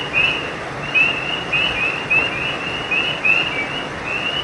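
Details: At night along a creek, frogs give short, sharp, upward-sliding high chirps in loose bursts about once a second, layered over constant flowing-water noise.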